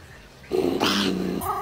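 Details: Domestic cat called mean by its owner gives a harsh, noisy growling yowl lasting about a second, strained and rasping, with indoor room sound around it.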